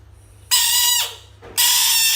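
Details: Frog screaming as it faces toys: a loud, harsh, harmonic-rich shriek lasting about half a second, a brief pause, then a second sustained scream that runs to the end.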